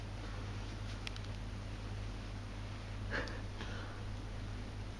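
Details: A 2-year-old Dachshund investigating bath bubbles gives a quick, sharp sneeze, preceded by a short sniff, over a steady low hum.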